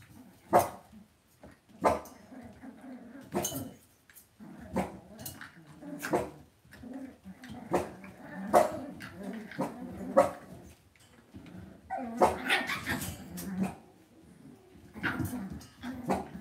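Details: Cavalier King Charles Spaniel puppies raised indoors in a home puppy pen, giving short growly yaps and small barks in bursts every second or two, with sharp clattering knocks between calls.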